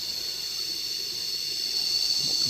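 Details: Cicadas drone in a steady, unbroken high-pitched buzz that holds level throughout, with layered shrill tones and a faint low rumble underneath.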